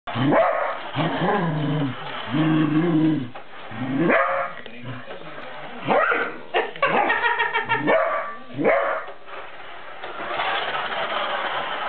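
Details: A Cocker Spaniel fighting a Mustang barks and growls in rough, repeated bursts, with low snarling between barks.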